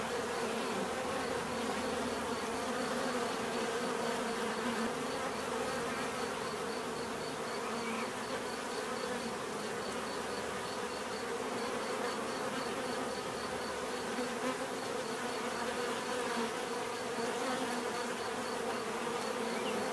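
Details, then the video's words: A steady swarm-like hum of numerous bees, a rich low buzzing drone holding even in loudness for the whole stretch, with a faint rhythmic high ticking in the background that drops out briefly midway. "bees therapy relaxing natural buzzing sound"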